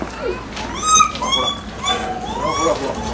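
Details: Captive lar gibbons at Maruyama Zoo, Hokkaido, Japan, filmed 8 April 2016, with an 11-year-old male calling while chasing: rich wavering whoops that rise and fall in a series of swoops, with visitors chattering nearby.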